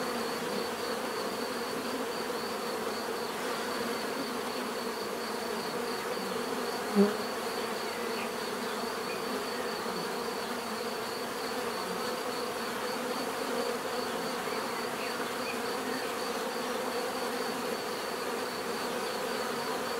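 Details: Bees give a steady, dense natural buzz, a continuous hum with banded tones holding level throughout, one brief louder buzz passing close near the middle.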